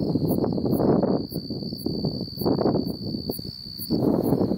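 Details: Unidentified insect calling in Beaver County, Oklahoma, on July 8, 2019: a steady, unbroken high whine with faint, even higher ticks about twice a second, partly buried under loud gusting wind rumble.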